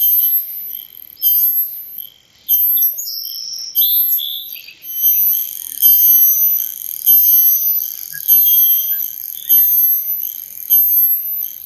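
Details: Cicada producing high, rasping buzz pulses about once a second, each starting abruptly and tapering. Brief chirpy whistled notes appear early in the sequence.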